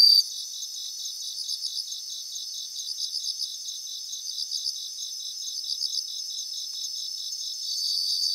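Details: Bell crickets singing in a grassland in Japan: a steady high ringing chorus of rapid pulsed trills, bursts repeating in short trains over a continuous shimmering background, with no other sounds.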